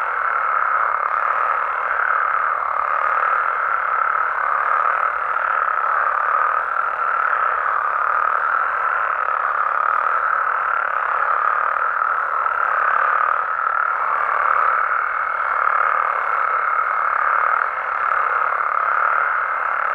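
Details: Night chorus of Mexican frogs and toads, many voices overlapping in a continuous mid-pitched croaking and trilling that swells slightly now and then, with a thin steady higher tone in places.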